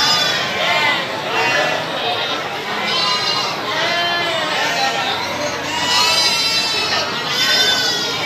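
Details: Market goats at Citeko, Plered, Purwakarta, Indonesia, calling repeatedly: quavering, wavering bleats overlap one after another across the stretch, amid constant human talk and crowd noise.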